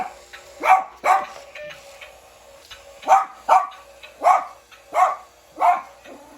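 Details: A Bichon Frise in winter, reacting to a remote-control toy, gives sharp, high yappy barks, first in quick pairs, then singly at steady intervals.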